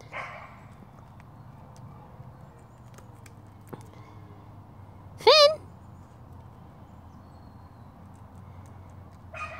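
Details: Red fox kept as a rescue animal, busy with a new toy, lets out a single short rising yelp amid near silence and faint indoor rustling.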